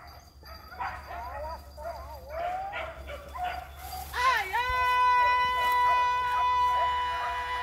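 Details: Village dogs giving voice while chasing wild boar during a hunt: several overlapping wavering yelps and barks, then a long, steady, high-pitched howling bay that holds its tone for several seconds, with people's voices faint underneath.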